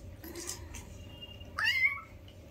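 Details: Newborn kitten playing with its mother, one of five kitties: a single sharp mew that jumps up, then holds a thin, slightly falling tone before fading, with soft shuffling noises just before it.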